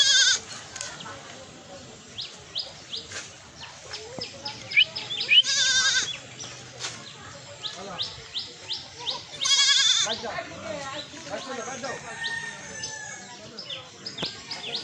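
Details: Baby goats kept on a village goat farm in Bangladesh bleating in two loud quavering bursts, with many sharp clicking and tapping sounds and faint background noise between.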